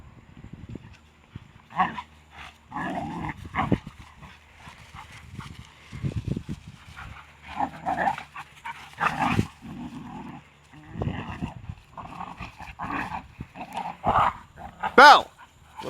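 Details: Pair of shepherd dogs aged a year and a half and six months, snarling while play-fighting; short harsh grunting growls recur every second or so, hog-like and uneven, ending in a sharp louder yelp-like burst.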